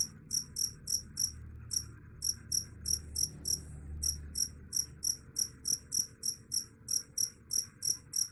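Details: Cricket chirping, a sound said to drive away rats: short high pulsed chirps repeated about three per second in a steady run with a brief gap, over a faint low hum.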